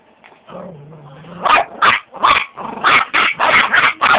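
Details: Chihuahua gives a low, steady whining growl for about a second, then breaks into a fast series of about nine sharp, high-pitched yapping barks.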